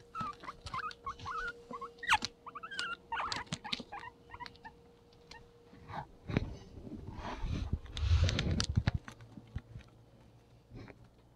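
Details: A pet guinea pig gives a run of short, bright squeaks, followed by rustling and shuffling, while a playful kitten plays tag with it.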